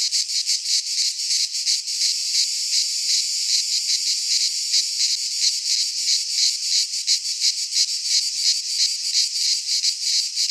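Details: Cicadas singing in midsummer in a Greek pine forest: a dense, continuous high buzzing chorus with rapid pulsing, about three pulses per second, steady throughout with no other sounds.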